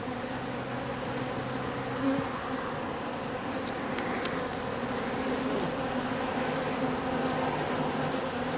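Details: Wild bees swarming at an industrial wall in October, drones and workers about one for one; constant many-voiced buzzing hum, with a few short clicking ticks midway.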